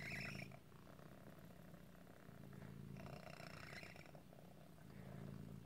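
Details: Squeaky, a cat called Otis whose deformity can cause asthma-like breathing trouble, gives a low, grating, rhythmic purr. Breaths swell and fade in slow cycles, and a brief higher squeak comes at the opening.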